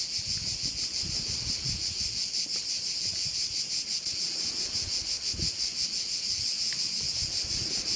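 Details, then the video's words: Crickets calling by a bay on Korčula, Croatia: a dense, high, shimmering buzz that pulses rapidly and never stops, with soft low wind rumble and rustling underneath. "view of one of the bays in Korcula with sounds of crickets"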